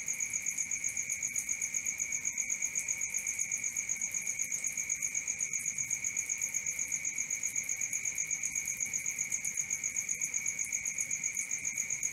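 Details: Crickets calling at night in a continuous, rhythmic high trill whose two piercing pitches pulse regularly about four times each second, with nothing else audible.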